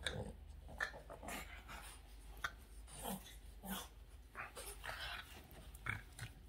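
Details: Boston terrier named Yoda switching from calm to wildly excited, giving rough, breathy growls and snorting bursts in an irregular run of short noisy blasts, roughly one every half second.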